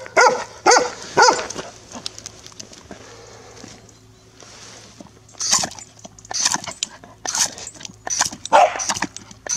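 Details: A female Golden Retriever barks in short, sharp bursts at a garden hose, demanding that it be switched on for water.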